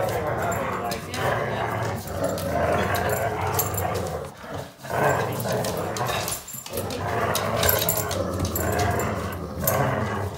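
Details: A 10-month-old Weimaraner puppy growls in low, rumbling bursts while playing tug-of-war with an older Labrador, with human voices in the background.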